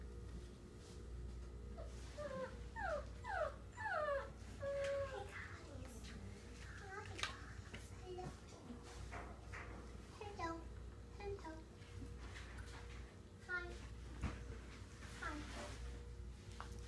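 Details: Indoor puppies from Penelope's litter give a burst of high, sliding squeals and whines, several falling cries in quick succession early on, then scattered yips and whimpers. A person talks softly, with a steady low hum underneath.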